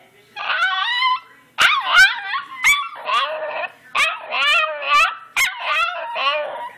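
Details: A pet dog 'talking back' to its owner, offered its harness and a walk: a series of howly, yodelling vocal bursts with wavering pitch, about eight syllables with short gaps, one sharp click near the start.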